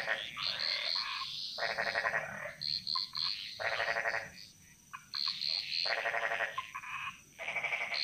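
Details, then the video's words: Jungle frog chorus in Bali, echoing; separate rapid rattling pulse trains about a second long alternate with shorter clicks and high buzzy notes from other frogs, with short quiet gaps between bursts. "Frog Mantras - Relaxing Sounds Of Bali"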